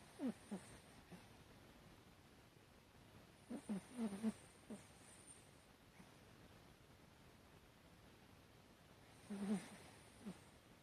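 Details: Chihuahua Hatchi asleep and snoring, September 2018: clusters of short whistly, wheezy snore squeaks come in uneven groups, with a quieter gap in the middle of the stretch, in a still indoor setting.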